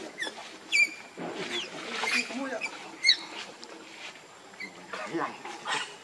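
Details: Rainbow, a monkey angered while guarding Lucie against Kachoy, gives sharp high-pitched squeaks and short chirps, several separate bursts spread over a few seconds, with softer rustling between.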